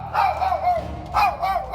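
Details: Dog that barks and bites defensively when outsiders enter the home, recorded in May during a home training visit; two sharp, tonal, harmonic barks about a second apart, with a slight whine in between.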